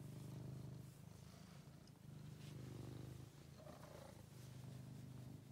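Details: Low, throbbing purring from a male house cat, a rescue once found thin and ill in a basement. The rumble runs in long, even stretches with brief breaks between breaths.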